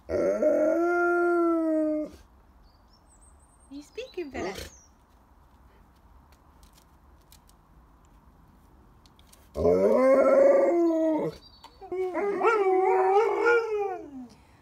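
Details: Dog from a copyright-free sound collection, giving drawn-out tonal howls and whines with clear stacked harmonics, one long wail at the start, then a pause with faint background hiss and a brief click, followed by two more wavering howls.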